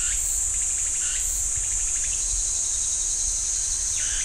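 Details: Shrill, constant cicada hum in a Jirisan National Park pine grove by Ssanggyesa temple, with a few scattered lower rising chirps and brief higher bursts.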